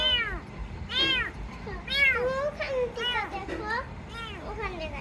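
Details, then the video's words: Rescued kitten mewing repeatedly, high arched cries about once a second, one drawn-out wavering mew in the middle, with a steady background hiss. "Cats Meowing"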